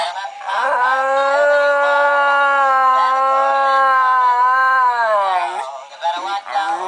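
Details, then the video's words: Rocky, a pet dog, howls along with a singing Santa Claus toy on a bed: one long sustained tonal howl rich in harmonics, holding steady pitch for about five seconds before dropping and breaking into shorter wavering notes. "Rocky sings together with Santa claus"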